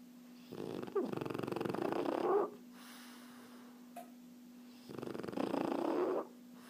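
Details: French Bulldog Erna asleep and relaxed, giving two long, rattling snores about four seconds apart, each a rough buzzing breath lasting over a second, with a constant low electrical hum between them.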